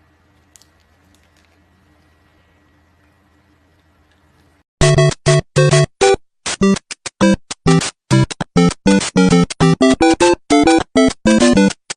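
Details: A near-silent room with a faint hum gives way to loud, choppy comic music in short bursts.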